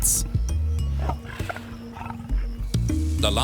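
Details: A tiger (Panthera tigris) gives a deep, rumbling roar that rolls out beneath orchestral music and a narrator's voice.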